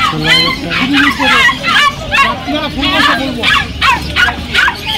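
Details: Golden Retriever puppies for sale at the Galiff Street pet market in Kolkata give high, yelping barks and yips in quick uneven bursts, several each second, over people talking and general market chatter.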